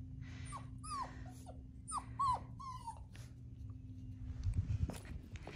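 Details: Two six-week-old Central Asian Shepherd Dog puppies outdoors on new ground in cold weather at 14F; several short rising-falling whines and yelps in the first two and a half seconds, then quieter shuffling and low rumbling noise.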